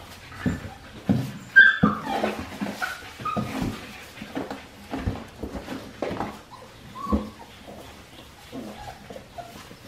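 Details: Australian Shepherd puppies, four weeks and five days old, from Winnie's litter, indoors on a baby cam: scattered short whimpers and squeaks, one brief higher cry near the middle, with rustling between.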